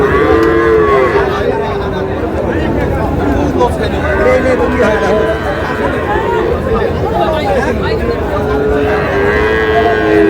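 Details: Moos from Sahiwal cattle at a market in Rajbari where a farmer buys a bull calf, with steady low lowing at the start, middle and end, layered under chatter and crowd noise.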